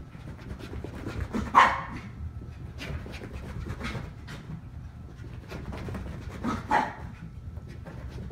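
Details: Two dogs play chase, a poodle chasing a dachshund, one aged 3 months and one 1.5 years. Steady panting runs throughout, with two short, sharp yelping bursts about five seconds apart over a low rumbling background.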